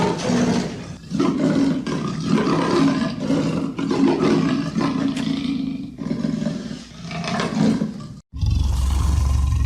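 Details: Leopard producing an almost continuous rough, rumbling growl with rasping surges for about eight seconds, then an abrupt break and a different low droning sound.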